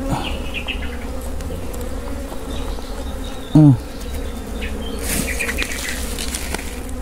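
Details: Wild honey bees humming steadily as their wild honey is harvested in the Philippines; continuous low drone, a short loud thump midway, and brief rustling hiss toward the end.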